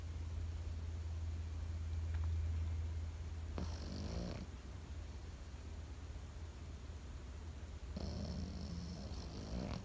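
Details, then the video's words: A Pekingese asleep, snoring twice. Each rough, raspy breath lasts around a second, and the two are roughly four seconds apart against a constant low background drone. "心地よい犬の寝息BGM ペキニーズ。 Comfortable Dog's sleeping sound pekingese."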